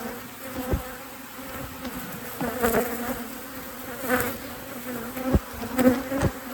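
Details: Honey bees of a thriving colony in a beekeeper's apiary during a full hive inspection, giving a steady low droning hum with a higher overtone, broken by several sharp knocks and clatters from handling the hive.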